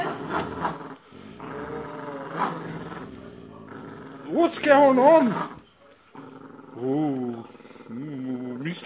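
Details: Boxer and Jack Russell Terrier growling in a tug of war over a penguin toy; rough rumbling growls with rising, wavering whine-like peaks midway, and a woman commenting throughout.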